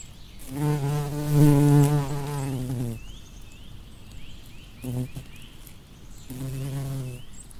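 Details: Bumblebee buzzing among flowers: a loud, low hum for about two seconds that drops in pitch as it fades, then a brief burst and a final returning drone, with faint high chirps between.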